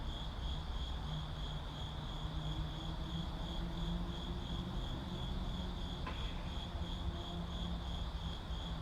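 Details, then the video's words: City crickets chirping in a continuous rapid high pulse without pause, with a deep hum of vehicles underneath and a single sharp click near the end. "Ambient Crickets in City"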